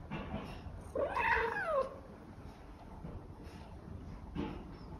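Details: Scottish Fold cat asking for food, giving a single clear meow that climbs and then falls over almost a second, with brief soft sounds before and after against a quiet background.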